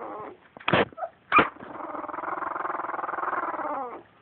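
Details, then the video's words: Two-week-old puppies: two sharp high yelps followed by a sustained, slightly pulsing harmonic whine lasting over two seconds that drops in pitch at the end. "2week old puppies making cute noises"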